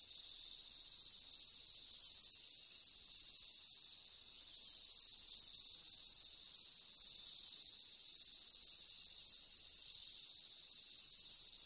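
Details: Cicadas singing: a steady, unbroken high-pitched hissing buzz that holds at an even level throughout, with no other clear sounds.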